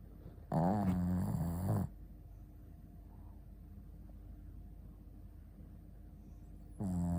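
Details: Shih Tzu Ponta snoring while asleep: a long, wavering, rumbling snore of over a second, then near silence for five seconds before the next snore begins.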